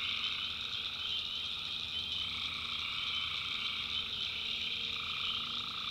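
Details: Night chorus of tree frogs in North Carolina backwoods swamp, a steady wall of shrill overlapping trills, with a mid-pitched layer of croaks fading in and out.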